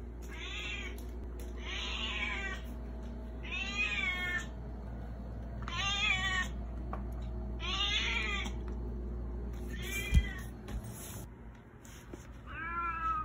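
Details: Cat named Baby Girl, harassing for food, meows insistently: about seven bright, wavering meows, each under a second, repeated roughly every one and a half to two seconds, with a sharp knock near the end and a steady low hum.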